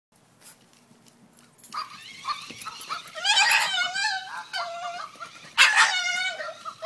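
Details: Male French Bulldog pet, scared or excited by a new toy bag, gives high whining whimpers and yelps rising in bursts after a quiet start, loudest near the middle and end, with a few softer breaths between.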